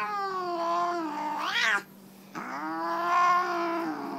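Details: During a nail clipping she dislikes, Tammy the Siamese tabby cat lets out two loud, rich yowls separated by a brief silence; the first swoops upward at its close, the second holds a steady pitch that bends slightly upward.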